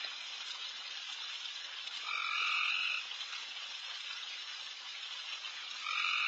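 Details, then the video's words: Backyard at night with insanely loud frogs on every side as deer feed. A continuous high, sizzling chorus, with one strong buzzy trill of nearly a second and another starting at the close. "Night Deer... with Frogs in surround sound"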